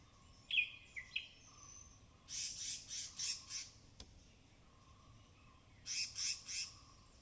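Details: Forest squirrels in the rain-soaked Tamhini evergreen canopy of the Western Ghats, captured binaurally while foraging: a few thin chirps first, then a bout of five shrill chatter notes and a later burst of three, with a faint continuous hum and one sharp click.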